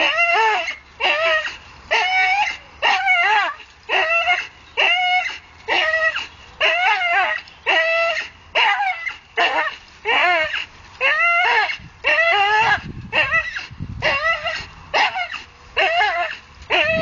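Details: A Staffordshire Bull Terrier hanging from a tree gives high, strained whining yelps, about one each second.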